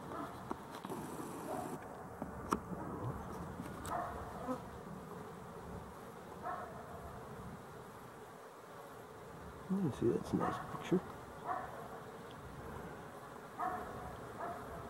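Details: Honey bees on 12-11-23 giving a steady, thick droning buzz, with louder individual buzzes swelling past around ten to eleven seconds and a few faint clicks.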